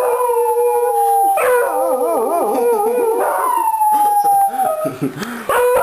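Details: A family of three Beagles, two grown offspring and their mother, howls in chorus at home on their owner's return; a long even howl gives way to fast wobbling, yodel-like warbles, then another drawn-out falling note.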